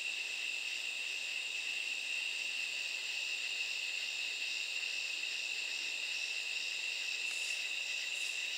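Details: Katydids calling at night: a steady, high-pitched insect drone holds one shrill tone throughout, with fainter raspy pulsing higher up that grows slightly more noticeable near the end; no other animals or voices.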